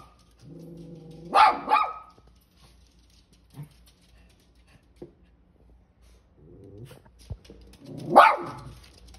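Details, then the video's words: Small dog facing a big buck deer, a low rumbling growl breaking into two shrill screaming barks, quiet pauses, then another growl rising into a sharp yelping bark. "Little dog screaming at big Buck Deer"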